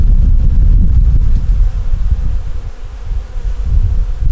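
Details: Honey bees in a nuc hive with a yellow queen, opened from the top during a winter inspection; a low, steady droning hum fills the low range throughout, with a little wind-like rumble on the microphone.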